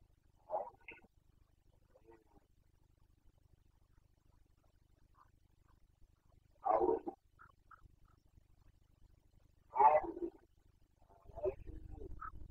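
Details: Carpathian red deer stag roaring in the rut of the 2021 breeding season (boncănit): short hoarse calls, then two loud, coarse bellows about three seconds apart, followed by softer grunts and a low rumbling background at the close.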